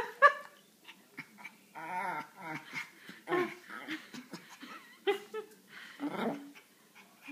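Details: Female pet dog making her funny sound while getting a back scratch: short whiny, grumbling harmonic noises in uneven bursts, with a person talking softly to her.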